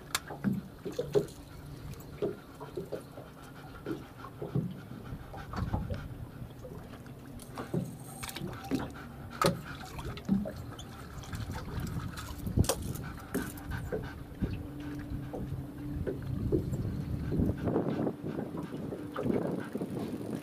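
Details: Golden Retriever panting during fishing training and swimming: quick, breathy, rhythmic pants in short bursts, speeding up in places, with low rumbling and sloshing water noise growing louder toward the end.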